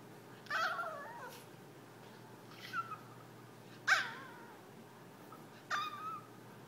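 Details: Jack, a pet Yorkshire terrier pleading with his owners for play, produces four brief, thin whimpering cries with wavering, falling pitch, separated by pauses of a second or more, in a quiet room.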